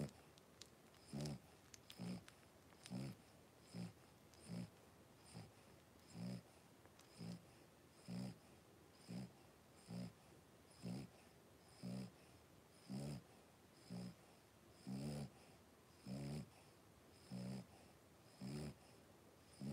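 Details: A litter of five blenheim Cavalier King Charles Spaniel puppies, three weeks old, at play in an indoor puppy pen; short, soft, low grunting breaths repeat about every second across the stretch, quieter and clipped.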